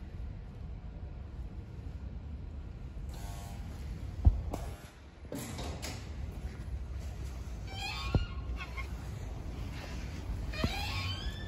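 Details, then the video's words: A stray cat outdoors gives a few clear, rising meows that bend downward at the end, spaced a couple of seconds apart. Low background rumble and scattered knocks are heard between the calls. "Stray Cat meowing cutely"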